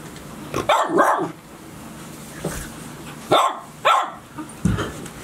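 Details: Barking from Golden Retriever puppies of Chiro's six-pup litter at Ain village, aged 72 days, 6 July 2018. A quick pair of yaps opens, then single bright barks at about 3.3, 3.9 and 4.7 seconds over quiet background.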